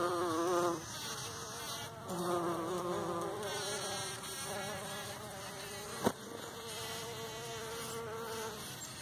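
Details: Several bumblebees buzz pollinating in a partridge pea patch in the morning; loud harmonic-rich buzzes rise and fall as bees come and go, one sharp click midway, over a continuous background hum.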